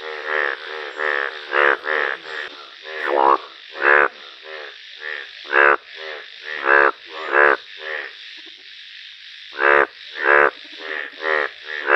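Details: A rare yellow-coloured Indian bullfrog (Hoplobatrachus tigerinus) gives loud, harsh croaks, repeated in uneven bursts with several overlapping calls.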